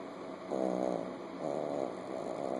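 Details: Chihuahua puppy sleeping with its eyes open and snoring: three raspy, rattling breaths in quick succession, each lasting about half a second, over a steady electrical hum.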